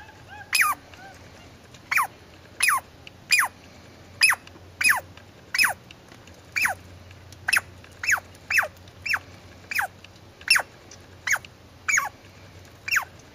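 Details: A squirrel calls steadily: a long run of about seventeen short, high squeaks that slide sharply downward, repeated roughly every two-thirds of a second, against a quiet low background hum.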